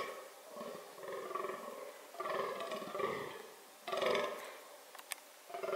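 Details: Fallow deer (Dama dama) calling during reproductive behaviour: hoarse, harmonic groans at about one every two seconds, some faint and some loud, with a few high clicks.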